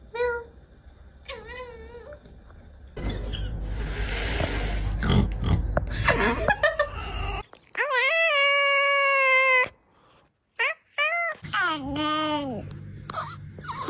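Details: Domestic cat giving several loud, drawn-out, wavering meows, some rising then falling, with short yowls early on and a long strained cry near the end; human laughter, snorting and a voice asking whether it wants to eat, plus a rumbling noise midway.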